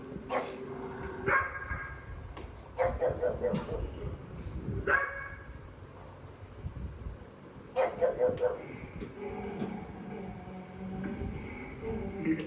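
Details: Jealous pug reacting to dogs on a television screen, treating them as intruders in its territory; clusters of loud, rapid barks near 1.5, 3, 5 and 8 seconds over steady background television audio.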